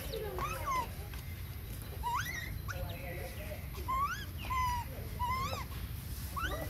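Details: Baby monkey crying for its mother's attention around breastfeeding: a run of short, tonal, whistle-like cries that rise and fall, coming every second or so over a steady low rumble.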